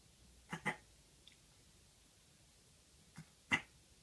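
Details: A Maine Coon kitten, recently neutered, hiccups in a still room on 22 December 2018: two soft breathy clicks close together, then two more after about 2.5 seconds; the hiccups preceded severe cat flu nearing pneumonia.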